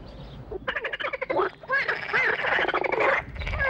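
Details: Several frogs calling together in courtship once a visitor has left, each inflating a pouch behind the head: dense overlapping croaks, rapid rattling pulses stacked in bands, almost continuous with brief gaps.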